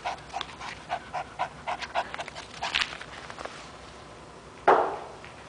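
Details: Toby, a three-year-old Chihuahua terrier at play with a rope, gives a run of soft rhythmic panting puffs for about three seconds, then a single sharp thump or knock near the end.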